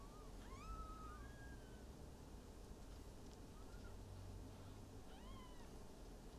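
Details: Newborn Maine Coon kittens from a litter of five, bred in Tokyo, Japan, giving thin, high mewing cries that rise then fall, several overlapping in short bursts over a steady low background hum.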